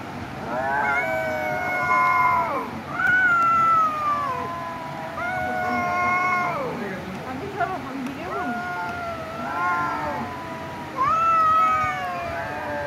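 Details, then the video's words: Domestic cats fighting, drawn-out wavering yowls with strong harmonics, several long howls rising and falling over about thirteen seconds, two voices overlapping at times. "cat video #CAT #meow Mini fighting video"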